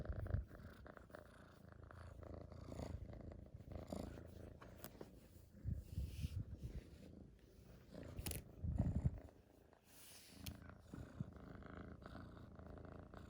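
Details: Purr of a rescued kitten, a low continuous rumble with rhythmic pulses about four per second, broken by a few soft bumps and rustling handling noises.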